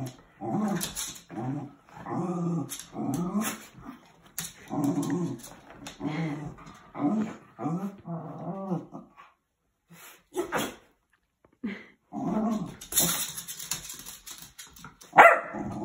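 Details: Playfighting dogs trade rumbling growls in short, choppy bursts for several seconds, then quieter scattered yips and whimpers with a few clicks and bumps, and a sharp high yelp near the end.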